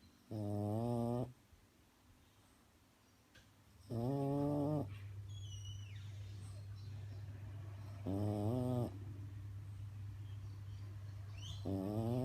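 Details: Snoring French bulldog asleep: rhythmic nasal, buzzy snore bursts about every four seconds, over a steady low hum in the room, with faint squeaky sounds between snores.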